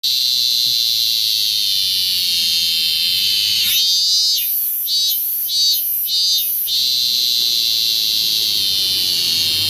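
A cicada gives a steady, shrill high-pitched drone with a louder pulsing, buzzer-like burst midway.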